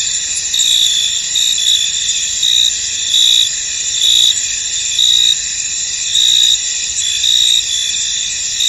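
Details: Crickets in a misty, foggy field: a dense, steady high-pitched trill with brighter chirp pulses standing out roughly once a second, layered over a continuous shimmering insect chorus.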